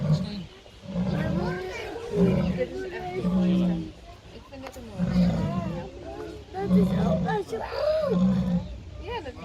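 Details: Jaguar kept at Artis zoo uttering low, rough grunts about once a second in a steady series, while visitors chatter and call out loudly over it.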